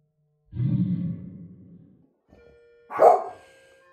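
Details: Beau, a dog, barking at the UPS truck in his yard: a low, drawn-out rumbling sound fades away, then after a short pause comes a single sharp, loud bark.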